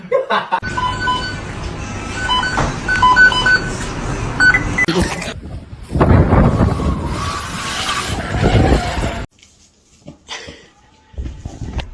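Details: Speech, music and car engine sounds come in bursts, with tonal beeps early on, then near silence and short noisy bursts near the end.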